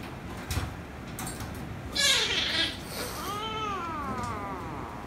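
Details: Kittens indoors, one angered rescue kitten and a ginger kitten that ends up kissing and licking it: a harsh, strained meow around two seconds, then a longer wavering, drawn-out cry from 3.3 seconds, with bumps and rustling earlier.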